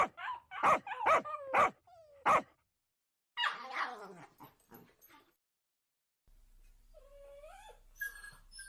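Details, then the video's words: Two dogs barking at each other: a burst of sharp high barks, then a rougher whining bark sequence, fading into quieter whimpering tones and a faint background hum near the end. "Dogs barking at each other"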